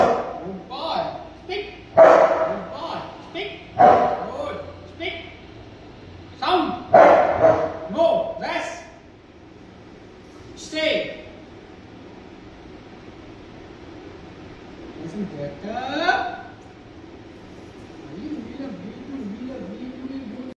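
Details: A Rottweiler in training gives deep, loud barks on command as a person gives cues such as "speak" and "come".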